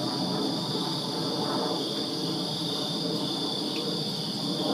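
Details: Crickets chirping in a backyard on a summer night in Virginia: a steady, high-pitched shimmering chorus with no breaks, partly masked by a broad, rumbling background hiss.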